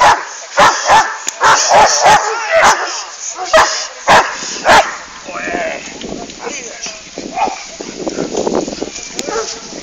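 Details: Female Hovawart Jamaica Kralovska straz barking in a quick run of loud, clipped barks for about four seconds, then quieter with human speech and faint background sounds.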